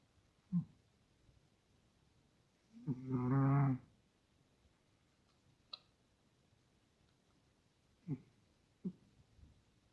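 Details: Russian Toy Terrier snoring in its sleep. One low, throaty, rasping breath of under a second stands out midway, with faint clicks and small snuffles scattered around a quiet background.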